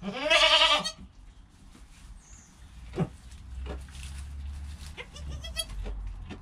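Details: Goat kid in its first hour of life, mother calm beside it: one loud, harsh, wavering bleat at the start, followed by soft rustling, thumps and a few faint, short bleats near the end.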